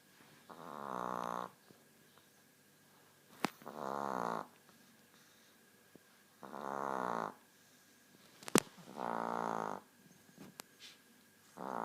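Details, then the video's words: Nine-year-old female Chihuahua snoring, which she does constantly because of her short snout; five soft, rasping snore bursts of about a second each, roughly every three seconds, with faint clicks and background hiss between breaths. "Chihuahua Snoring"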